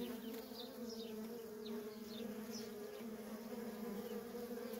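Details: Worker honey bees in nonstop traffic at a feral colony: a dense, continuous low droning hum with a steady overtone, unbroken for the whole stretch, with faint, brief high chirps flicking in the background.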